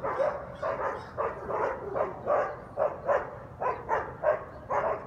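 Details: Guard dogs barking nonstop at 7am on Sunday, Conti St., New Orleans; steady chain of hoarse barks, roughly one every half second, fairly even in loudness, with faint low background rumble.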